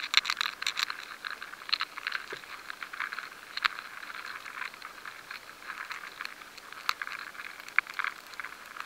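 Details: High-sensitivity recording of grain weevil larvae feeding inside stored rye grains: dry, irregular ticks and scratchy crackles.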